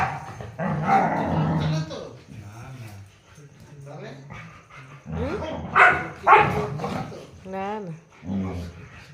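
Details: Puppies Coco and Coral tugging at a rope in play: bursts of rough growling and short barks, then a wavering rising whine near the end, with a person talking in Bengali throughout.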